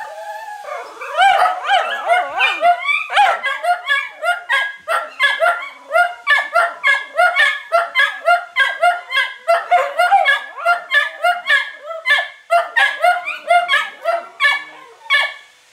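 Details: Italian greyhounds give a steady run of high, sharp yips and barks, with whining notes mixed in, their usual noises while laundry is being done.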